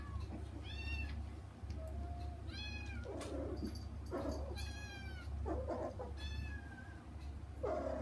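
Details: Domestic kittens calling for their mother through frosted glass while the family plays: repeated high harmonic meows about once a second, mixed with softer, lower mews and scratchy thumps, steady low background hum.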